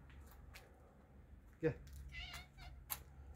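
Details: Outdoor cats fed dry food in a garden on a cold day; one short, harmonic meow sounds midway amid scattered clicks, while a person speaks Turkish and coaxes the cats to come.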